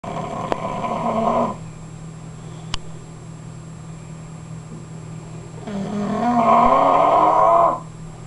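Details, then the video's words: English Bulldog snoring: two long, rasping breaths about four seconds apart, each a rough, throaty rattle that swells and fades, with a steady low electrical hum throughout. "English Bulldog Snoring"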